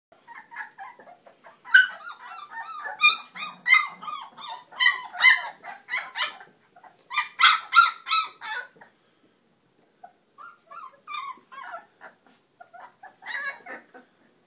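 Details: Cane Corso mix puppies, 22 days old, give loud high whining yelps and squeals in rapid bursts, several close together, then a short silence and softer, scattered whimpers toward the end.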